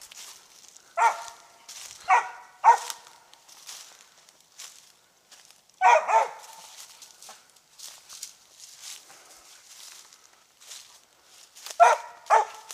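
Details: Treeing Mountain View Cur named Max Pine Knot, about three years old, squirrel hunting in South Carolina, gives scattered loud, rough barks in pairs and triplets separated by pauses, with rustling and footsteps through brush between them.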